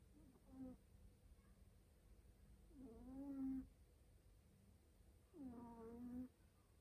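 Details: House cat drifting off to sleep with loud snores: three drawn-out, buzzy, slightly rising nasal breaths about every two and a half seconds, the later ones longer and stronger, against a quiet room hum.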